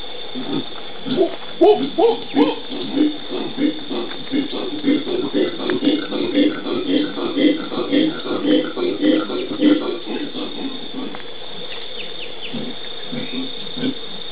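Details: Group of howler monkeys in the Pantanal, Brazil, 13 January 2011: a rolling chorus of hoarse, pulsing grunts that builds and overlaps in the middle, then fades to scattered calls near the end over a steady background hum.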